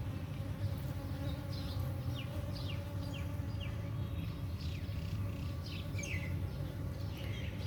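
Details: Dwarf honey bees flying out in the morning to forage, crowding onto flowers for nectar to carry back to the hive; continuous low humming buzz with scattered faint high chirps above it.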